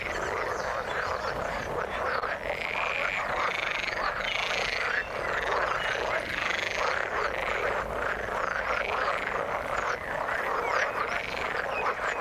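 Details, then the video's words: Many frogs in water croaking together, rapid rattling notes stacked over one another without pause, a few brighter calls rising above the thick chorus throughout. "Frog sound in the water"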